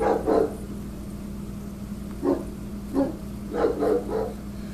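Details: Rottweiler barking at construction workers it treats as intruders while they trim branches near telephone wires; a short burst, a few isolated deep barks, then a quick double and triple, with steady background hum.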